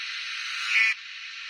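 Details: A cicada in summer gives a steady, dense buzz, a hissing drone that swells briefly before dropping slightly in intensity.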